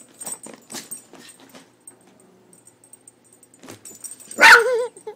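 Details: Leo the dog, afraid of a cat food bag's cat picture, gives a single loud bark trailing into a wavering whine near the end, after quiet rustling and soft sounds.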